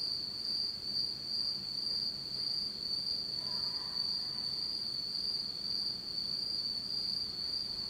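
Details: Japanese autumn insects at night in total darkness: a sustained, even, very high trill dominates, with a short faint lower warble around the fourth second and gentle low noise beneath.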